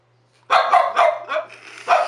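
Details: French Bulldog indoors barking on the 'speak' command during trick training and being praised: a run of short, sharp barks, about four in quick succession then one more, with a steady low hum behind.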